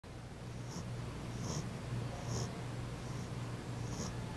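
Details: A female French Bulldog has fallen asleep and snores with a low, rumbling, buzzy sound in short repeated bursts.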